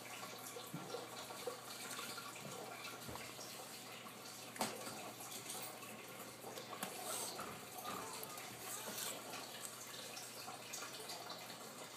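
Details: Steady running water, as from a tap filling a sink, with faint indoor clatter and no animal voice.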